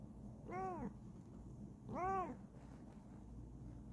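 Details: Kokoa, a Bengal cat, meows twice while investigating something curious; each meow is a bright, harmonic-rich arc that swells and fades, roughly one and a half seconds apart, with low indoor hum behind.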